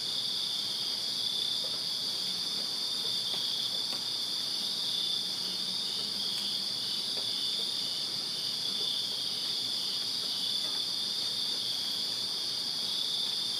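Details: Many crickets chirp through a summer night in a Virginia backyard, their thin high-pitched trills merging into a steady, unwavering drone with a few soft ticks in the background.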